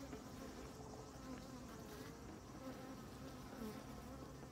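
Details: Honey bees swarming over comb honey, an unbroken buzzing drone of many wings with gently wavering pitch bands and no other clear sounds.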